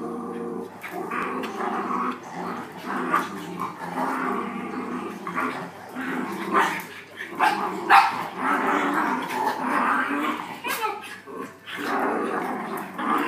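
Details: Playing dogs growl almost without pause, rough harmonic rumbles swelling and dipping in loudness, broken by brief sharp snaps and thumps.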